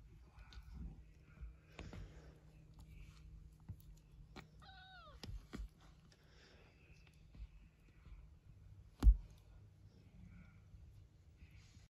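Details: A tiny Devon Rex kitten at play gives a brief, high, slightly falling mew amid soft knocks and scuffles.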